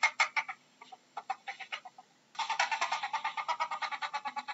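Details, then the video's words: Ferret uttering a few loose, separate clucks, then breaking into a fast, even series of raspy chuckling pulses. "How does a ferret sounds"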